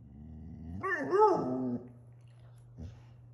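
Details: Six-month-old female German Shorthaired Pointer puppy talking back after being refused a trip outside; one wavering, grumbling howl of about a second, then a faint short yelp, over a low steady hum.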